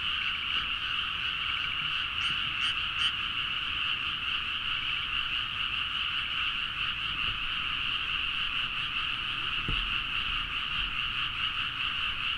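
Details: A dense midnight chorus of frogs in rice paddies in Nagaoka, Niigata, Japan, a steady wall of overlapping high croaks and trills.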